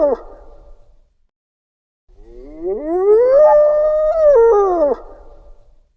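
A hyena calls with a drawn-out, howl-like note that rises smoothly, levels off briefly, then slides down at the end. A short fragment of another animal sound fades out just before it begins.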